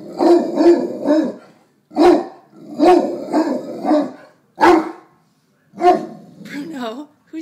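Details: Neapolitan Mastiff getting protective at his reflection in a mirror, giving deep barks in quick runs of two or three, with a person's voice mixed in near the end.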